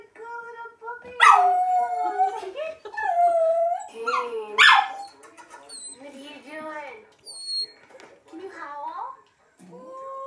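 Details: Dog howling along as a recording of howling dogs plays; several overlapping wavering howls rise and fall, some sliding upward, with bright harmonics and brief gaps between voices.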